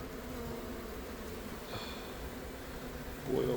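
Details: Western honey bees working inside a structure, exposed while removing a brood-filled hive in Buena Park, California; low steady humming with a brief higher whine near the middle and a louder rustle at the end.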